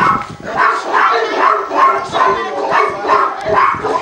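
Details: Tibetan Mastiff at the Nasledie Tibeta kennel in Russia, barking at unfamiliar strangers during a working protection test. The dogs had no protection training. Rapid, harsh barks repeat roughly twice a second, with handlers' voices mixed in.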